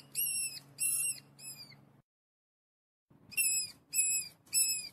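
A mouse gives shrill, arching squeaks, three at a time, with a brief pause between groups.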